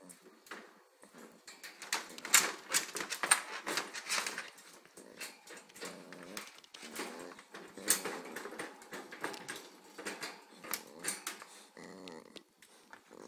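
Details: Indoors, a Corgi pup of 8 weeks and a 6-month-old Corgi tussle, giving rapid, irregular growly grumbles and soft whines against constant scratching, thumping and paw clicks.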